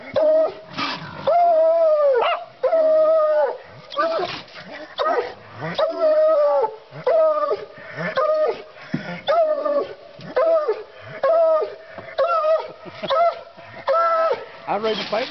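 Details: A male Bluetick Coonhound bays over and over, long ringing barks about once a second, signalling a raccoon in a trap.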